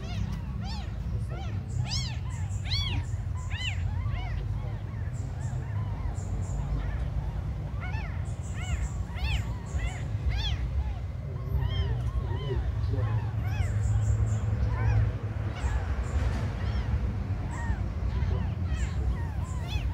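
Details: A chorus of small abandoned kittens, mews piling on top of one another for twenty seconds, loud and clear early on, then denser and more blurred amid a heavy low background roar.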